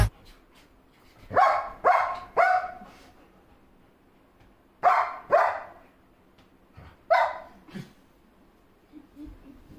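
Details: Dog barking while protecting its owner: loud, harsh barks in short bursts of three, then two, then two more, with quiet pauses between and a faint low rumble underneath.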